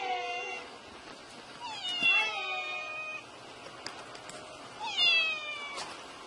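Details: Meows of a domestic cat, presented as a sound to drive away mice: three drawn-out, high, bending meows a few seconds apart, fairly soft against steady background hiss with faint clicks.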